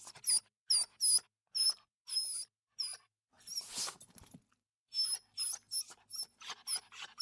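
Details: Dog crying in a steady series of short, piercing high whimpers, roughly two per second, broken once by a rough breathy snuffle.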